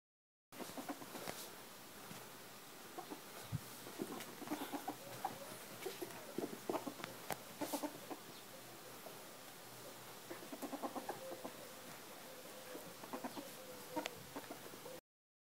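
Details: A female ferret, nibbling, makes soft, rapid clucking chuckles in short irregular bursts.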